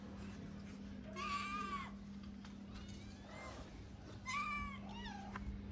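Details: Skinny, hungry female calico cat, apparently a Moroccan street stray, meowing loudly for food: two drawn-out, wavering meows about three seconds apart with a shorter call at the end, over a steady low hum and background noise.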